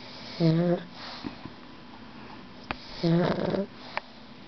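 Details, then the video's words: Loud, harmonic snores from a pet dog come in two drawn-out breaths about two and a half seconds apart. The second is rougher and more rattling, with small clicks and sniffs around it. "My dog snoring"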